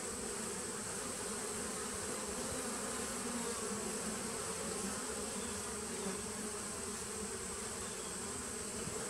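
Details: Honey bees of a nucleus colony started in 2017, recorded 19 September 2018: a dense, steady hum of many wings, low and unbroken, with a faint high hiss over it throughout.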